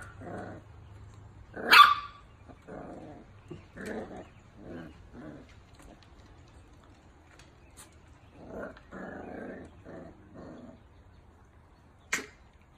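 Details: Miniature Dachshund at a breeder's, giving a series of short, gruff barks and growly yaps spaced about half a second apart, one sharper high yelp near the start, then a cluster of barks later and a final sharp click.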